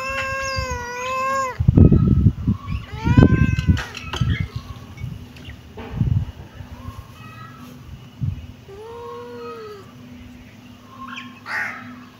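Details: Kitten meowing: a long, steady, high-pitched meow, then shorter rising-and-falling meows spaced a few seconds apart, with loud low thumps and handling noise between calls.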